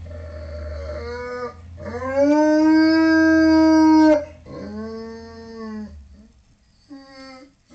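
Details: Crying Tibetan Mastiff indoors, wailing until he sees comfort food. A series of long, rich, harmonic howl-like cries, the loudest held for about two seconds, separated by short breaks, ending with a brief final whine.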